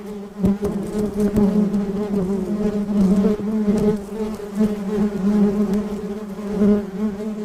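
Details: A honey bee busy among flowers in a rose garden gives a steady, low wingbeat buzz, droning continuously and swelling slightly in loudness.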